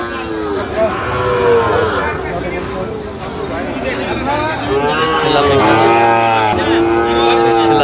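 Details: At a busy Bangladeshi cattle market in Manikganj, a Sahiwal breed bull is on sale in January: a few sustained moos with clear harmonic bands stand out above steady crowd talk and distant vehicles.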